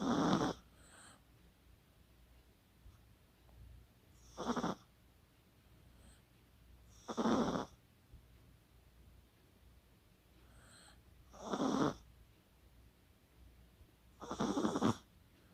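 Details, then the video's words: Sleeping Chihuahua called Kaka, 24 October 2020, snores steadily: five harsh, breathy snorts about every three and a half seconds, with faint breathing in the quiet gaps between them. "코골이의 주인공은 치와와 카카"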